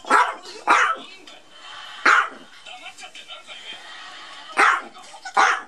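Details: Maltese dog battling a duck toy, giving five sharp, bursting barks spaced irregularly over about five seconds, each a short broadband yap with a quieter room background between them.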